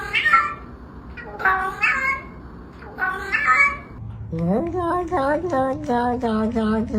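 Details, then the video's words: Cat mewing amid human talk: soft voices at first, then a quick series of about seven rising, nasal meows, one after another with short gaps. "the sound of a cat's meow"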